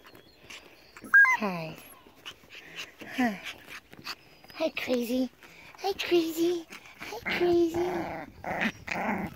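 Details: Pomsky puppies, five weeks old, of Selene's litter, give several sliding yelps and whines. One drops steeply from high to low pitch, and short growly squeals follow while a person chats to them between calls.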